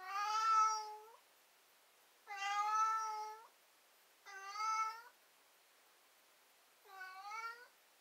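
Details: Four long, loud whining meows from a cat, each about a second long with rich harmonics and a slight upward bend, repeated roughly every two seconds in a quiet room.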